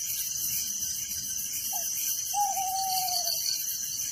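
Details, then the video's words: Night crickets in a village chirp in a continuous shrill pulsing drone, while two brief whistled notes from another creature sound in the background, the second longer and slowly falling. "Relaxing Night Crickets Sound in Village"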